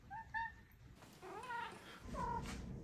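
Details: Maine Coon cat chatting with its owner at home: two short chirps early, then two separate wavering meows about a second apart, over a low steady hum.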